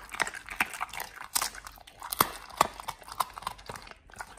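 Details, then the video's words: Pit Bulls Oliang and nomyen eating raw healthy treats on a restricted-calorie diet: crisp, crunchy bites and wet smacking chews, sharp irregular clicks landing several times a second with brief pauses between mouthfuls. "Oliang and nomyen the Pit Bulls eat RAW healthy treats [ASMR] MUKBANG 犬が生の肉を食べる [咀嚼音]"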